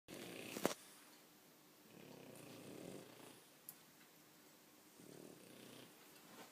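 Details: A tired, sleeping French Bulldog snores loudly in slow, rough, rasping breaths spaced about three seconds apart.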